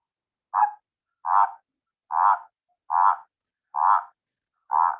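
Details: Spined toad calling in a steady series of six short, rattling, mid-pitched croaks, each about a third of a second long, spaced just under a second apart. The background is clean.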